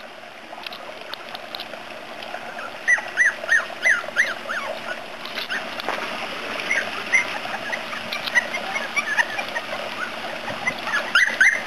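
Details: Three-week-old puppies from a new litter at Prairie Kennels of Iowa give short, high squeaky whimpers. Some rise and some fall, and they come in quick, uneven bursts over a steady, trickling hiss.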